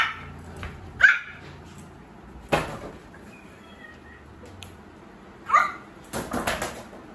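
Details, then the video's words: A male Pomeranian puppy tries out his first little barks: three thin, high yips spaced a few seconds apart, followed by light clattering and tapping noises. "Pomeranian barking voice💕| puppy’s first bark."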